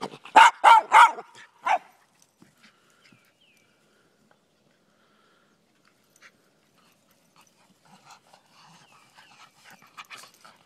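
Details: Miniature Pinscher / Rat Terrier mix barking while playing fetch in April; four sharp barks in quick succession within the first two seconds, then near silence with faint scattered sounds.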